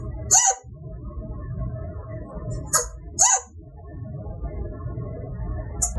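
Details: A male chinchilla gives sharp, squeaky hiccups after mating a female, short bark-like chirps spaced unevenly over a low rumble; this is an involuntary happy sound that can last minutes and resembles, but is not, an alarm bark.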